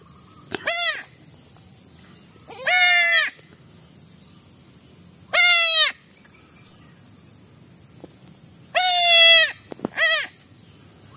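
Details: Baby goat bleating five times in about eleven seconds, short harmonic cries that rise then fall, some longer and wavering, with a steady high-pitched hiss in the background.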